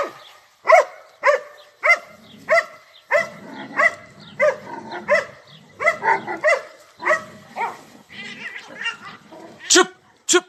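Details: Several dogs barking early in the morning while assaulting a cat, recorded from a balcony; sharp harmonic barks in irregular bursts roughly every half second to second, with some overlapping yelps and a background rumble of voices.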